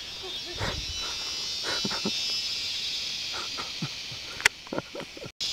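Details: During cicada season on Koh Samui, Thailand, a steady, high, hissing cicada drone fills the air while people talk nearby; chainsaws worked by locals are mentioned.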